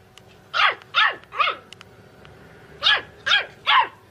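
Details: Puppy giving six sharp, high-pitched barks in two bursts of three, each yap bending down at its end, with a short pause between the groups and a quiet background.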